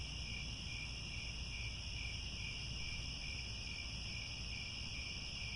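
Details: A steady chorus of crickets in grasslands at Angkor Wat, Cambodia, at sunset, trilling in several high, unbroken bands over a low rumble.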